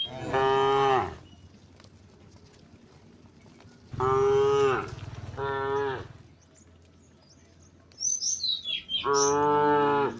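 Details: Dozens of tame cows walking along a village road toward rice fields give long, low harmonic moos one after another, with brief bird chirps between them.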